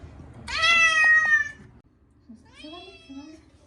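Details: Bathed for the first time in a year, the short-legged Munchkin Chacha gives a loud, strained, rising meow, then a softer, quavering second cry after a brief pause. The room is otherwise quiet.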